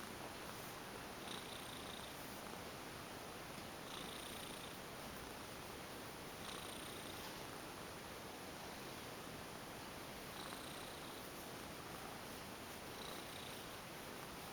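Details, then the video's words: Former stray female domestic cat enjoying a massage and purring at length: an unbroken low purr with gentle swells every couple of seconds from her breathing, heard close up indoors. "Lovely Cat goes limp for a massage & purrs lots !"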